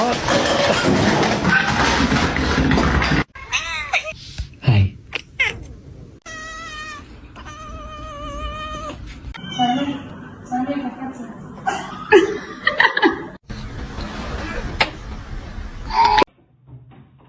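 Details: A kitten meowing in a series of short, rising and falling meows, strongest midway through, between people talking and exclaiming, with a burst of loud rushing noise at the start.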